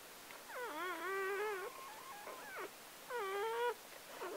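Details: Freshly born Gordon Setter puppy, number seven of a litter of nine delivered by four-year-old Clea on October 23, 2014, gives loud wavering wailing cries, two long whimpers with short squeaks between, in a quiet indoor room.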